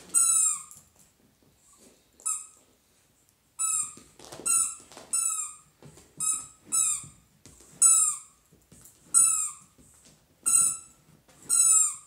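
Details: A happy Dachshund gives high, squeaky whines: short notes that fall in pitch, coming in bursts roughly every second, with soft breathy snuffles and quiet pauses between them.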